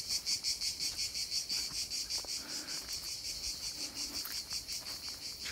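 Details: Cricket singing outdoors at night in nature, near a released Messor ant colony; a steady high-pitched trilling chirp pulsing about three times a second, with faint rustling footsteps.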